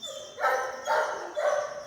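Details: In India, puppies offered for sale let out three loud, whining yelps in quick succession. Each is a bright, harmonic cry of about a third of a second, with little else audible behind them.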